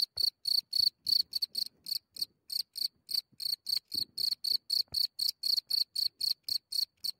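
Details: Close-up night recording of a cricket at its hole in Germany, a few centimetres away: loud, shrill chirps in a fast run of about four per second, slightly uneven at first, with scattered faint low clicks.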